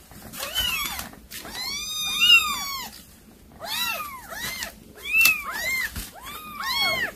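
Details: Domestic cat calling kittens while bringing prey to feed them: bouts of clear, bright, arching meows, several piled together, repeating roughly every second or two with quiet gaps between.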